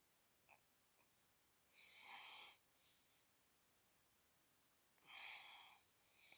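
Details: Chichi, a friendly Shiba Inu kept near a school branch in Kanahama, Aomori City, Japan, sneezes after being petted on the head and brushed; two short breathy hissing bursts about three seconds apart, with faint small clicks in a quiet setting.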